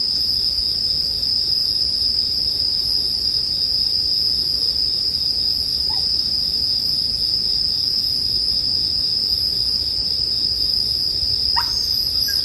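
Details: Bell crickets ring continuously in a relaxing bonfire soundscape, a steady shrill high tone filling the clip, with a couple of faint isolated chirps and low fire rustle beneath.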